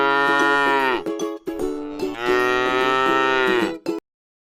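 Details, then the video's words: A docile cow at rest in a pretty rice field gives two long moos, the second longer and fading downward, over a continuous tonal hum like background music, then silence. "suara sapi lucu jinak yang sedang istirahat di sebuah ladang sawah yang indah"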